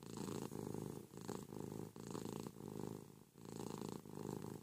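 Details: Ruby, a domestic cat cuddling her owner in bed one morning, purrs noisily, a steady vibrating rumble broken into long phrases by short pauses for breath.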